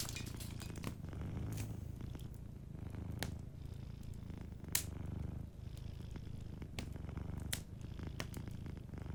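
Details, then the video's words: A cat asleep beside a cozy fire purrs in a soft, low, vibrating drone that swells and eases in breath-length cycles, while the fire crackles and pops intermittently. "Warm Fireplace Ambience with a Sleeping Cat 🐱💤Fireplace & Soft Purring"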